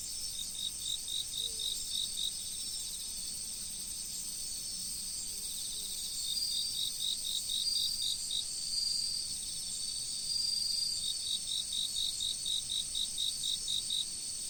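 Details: Insects calling in autumn beside a flowing river: high, pulsed chirps in rapid regular bursts, about four per second, coming in runs with short pauses, over a steady high-pitched insect hum and the faint rush of water.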